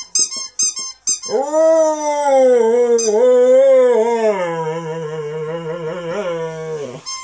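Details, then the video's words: Rescue Saluki x Greyhound dog singing along to a squeaky ball: a few short squeaks open, then a long sustained tonal howl with rich harmonics, wavering and slowly falling in pitch over about six seconds, ending with another squeak. "Zero The Singing Saluki"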